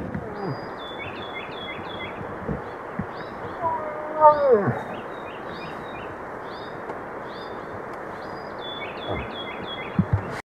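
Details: Bull moose in the rut gives a single moaning call that slides downward midway through, with brief faint sounds before it and a steady stream of high, repeated bird chirps above a constant hiss.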